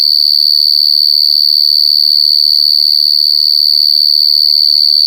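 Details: Wild large cricket (gangsir) recorded in nature, very clear: a sustained shrill high note that never breaks, layered with fainter higher overtones, evenly loud across the whole stretch.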